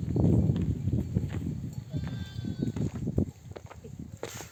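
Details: Mother sheep of a nomadic flock, back from grazing in the desert, bleat to call their lambs to nurse; low, rough, wavering bleats overlap one another, with ongoing flock bustle beneath.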